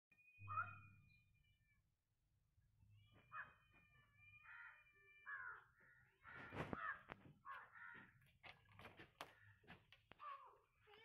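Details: Kittens giving short, quiet, tonal mews with a slight rise, several scattered through the clip, over a low steady hum and a few clicks and knocks.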